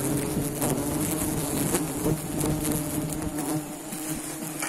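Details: Honey bees at a nest, a dense continuous low buzzing hum with steady droning tones and faint crackling, holding fairly even loudness throughout and easing slightly near the end.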